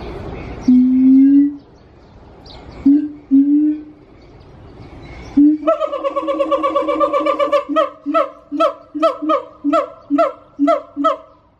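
A siamang sings: deep booming notes, then a long ringing wail that breaks into loud barking whoops, repeated about twice a second.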